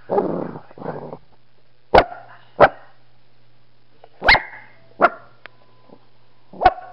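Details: A dog named Brutus barks in abrupt, loud single barks spaced about one to two seconds apart, after an opening moment of muffled voice-like sound, with a faint steady hum underneath.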